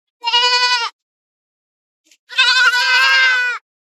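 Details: A goat from a herd feeding in forest and field gives a short steady bleat, then after a pause a longer, louder, rougher quavering bleat.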